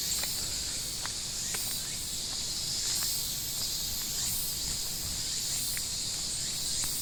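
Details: Shrill cicada chorus, an unbroken high buzzing drone that swells gently every second or so, with occasional faint chirps and clicks beneath.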